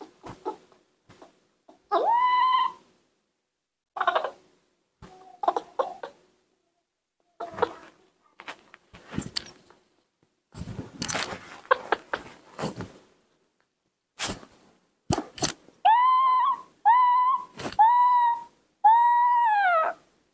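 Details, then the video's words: Newborn baby monkeys being hand-reared; high, clear, whiny calls that rise and fall in arches, first scattered with pauses, then four or five in quick succession near the end, mixed with clicks, taps and rustling handling noise. "Newborn baby monkeys make sweet sounds"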